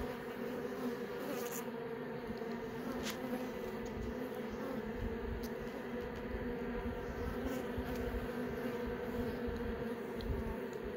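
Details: Steady hive buzz from honey bees during a hive inspection, young workers emerging from brood cells; even droning tone with harmonic layers and a few faint clicks scattered through.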